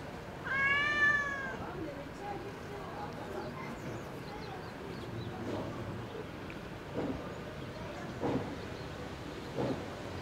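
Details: Park-dwelling cat meowing toward a balcony it visits every day to beg for food: one drawn-out, falling meow near the start, followed by faint murmuring and soft background sounds.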